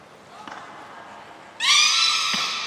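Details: Training session for the belugas Gray, Nana and Mirai at Port of Nagoya Public Aquarium on 7 June 2022. Faint soft sounds lead into one sudden, loud, strongly harmonic squawk held steady for more than a second.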